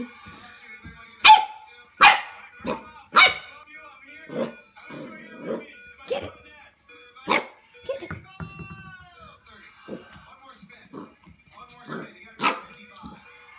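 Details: Scared corgi barking: sharp, loud barks near one, two, three, seven and twelve seconds, each a quick burst, with softer yaps between, over background music and human talk.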